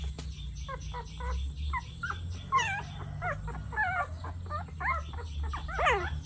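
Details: Young puppy crying with its first sounds, said to reveal its emotions: a run of wavering, high whimpers and yelps, each rising and falling, repeated several times a second over a low rumbling background hum.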